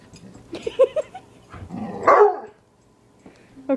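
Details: Domestic dog barking at a piece of wood it hates: a few short yips and soft clicks, then one strong harsh bark, a quiet pause, and a brief sound at the very end.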